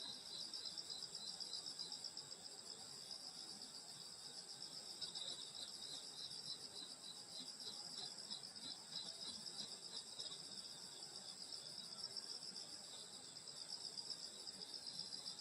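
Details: Insects singing on a summer night in the countryside at a grandmother's house: overlapping high, shrill trills form continuous bands, each pulsing rapidly and evenly, a soft rustle beneath.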